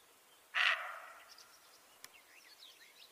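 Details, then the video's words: Roe deer giving a warning bark: a single harsh, hoarse bark that starts abruptly and trails off into a fading tail, with faint bird chirps and twitters in the quiet background. "Deer's voice | Roe deer | warning call | barking"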